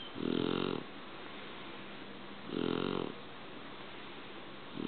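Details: A sleeping Shar Pei snoring: two rough, buzzy snores about two and a half seconds apart, each lasting roughly half a second, with quiet breathing between them indoors.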